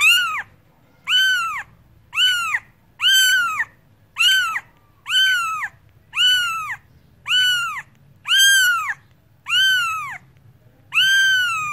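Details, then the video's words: Domestic cat meowing in a steady series, about eleven high, harmonic meows, each rising then falling in an arch, roughly one per second, over a faint low hum. "Cats Voice - Cats sound - Cats Meowing"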